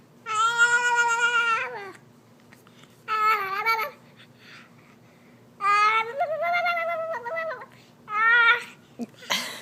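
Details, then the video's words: Clark, a pet cat, makes comical wavering meows as his chin is wiggled, long harmonic cries with wobbling pitch, four main calls in quick succession in a quiet room, ending with a brief rustle. "Funny Sounds with Baby Clark"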